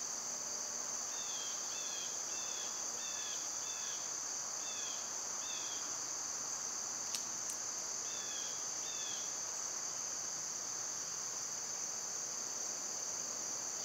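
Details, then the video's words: Cicadas drone on a constant high note in summer while a bird adds short paired chirps in bursts over the first half, plus a sharp click midway. "Birds & Squirrels w/ Cicada sounds"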